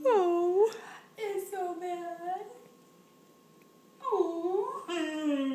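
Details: A female German Shorthaired Pointer, "saying please" after being asked whether she wants a drink, gives drawn-out, rising and falling whines and moans, as if asking for something.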